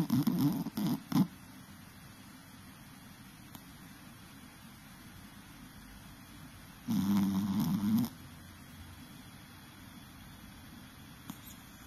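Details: A sleeping Chihuahua with its eyes rolled back snores in loud, low rasping bursts, a cluster near the start and another at about seven seconds, separated by quiet stretches of steady breathing indoors.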